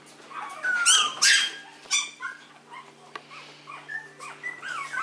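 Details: Maltese dog, called an affectionate little prince, letting out two loud, sharp yelps around the first second, then a series of softer, curling whines that rise and fall, over a faint steady hum.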